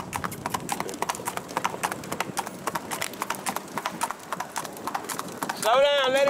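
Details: Hooves of a bay Tennessee Walker ridden by a young rider on an East Texas trail ride, Marshall, Texas: steady rapid clip-clop, roughly four strikes a second, ending with a wavering high voice over the footfalls.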